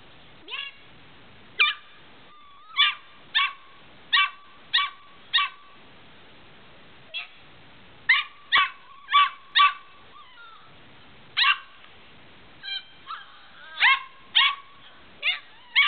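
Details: Medium Australian Shepherd puppy yipping in short, high-pitched bursts, roughly twenty sharp yips over sixteen seconds in uneven clusters, with a few thin rising whimpers between them.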